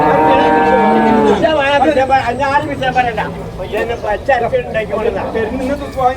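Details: Water buffalo calves at a morning market in Manjeri, Kerala, India. One rich, layered moo lasts about a second and a half, then gives way to loud human voices and market bustle.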